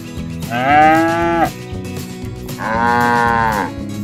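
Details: Cattle roaming the fields in the countryside, mooing to call their friends home to the barn: two long, strongly harmonic moos, the first held about a second and slightly falling at its end, the second steadier, over a faint steady background hum.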